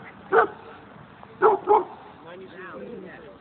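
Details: Toro, a Cairn Terrier playing with other dogs at a dog park, gives three short, sharp barks, the last two close together.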